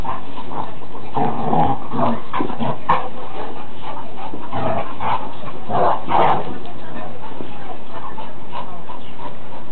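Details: Rough play between two large dogs, Tara among them: repeated gruff growls and snarling bursts mixed with scuffling, about two or three per second, with a person's voice urging them on.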